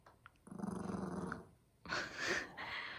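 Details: Maltese puppy indoors, growling while wanting potato chips; a low, pulsing rumble lasts about a second, then a louder rustling burst of noise follows.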